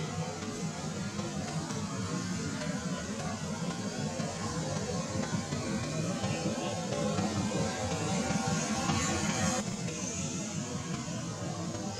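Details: Steady guitar-led music plays throughout with some speech mixed in, and no clear animal voice stands out.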